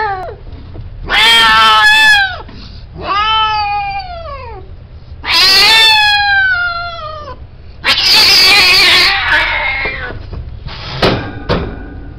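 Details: Himalayan kittens meowing: about five loud, drawn-out wails with rich harmonics that bend downward, some rough and harsh, separated by short pauses, with faint background hum.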